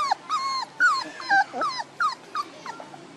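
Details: A litter of one-month-old puppies, one month and two days, calling in short, high whimpers that swoop downward, about two each second, with soft yelps between.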